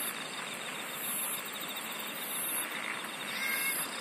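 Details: Singing insects in a dense night-style chorus: a steady high trilling band with pulsed bursts near the top of the range repeating about every one and a half seconds, over a constant hiss of more distant callers.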